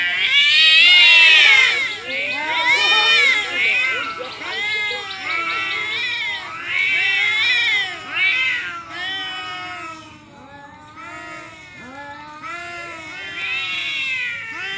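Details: Pair of cats in a standoff yowl loudly at each other, long quavering wails with bending pitch, roughly every two seconds at first, then quieter, shorter moans and rising cries toward the end.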